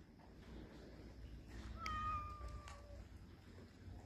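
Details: Street cat gives a single drawn-out, steady meow lasting about a second that fades into a quieter tail, over a low background rumble.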